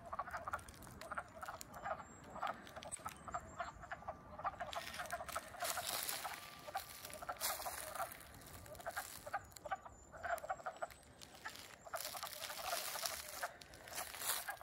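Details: A chorus of wood frogs (Lithobates sylvaticus) at Middlesex, Vermont, on 7 April 2020, just after waking in spring, gives rapid, hoarse, overlapping clucking notes like distant quacking ducks.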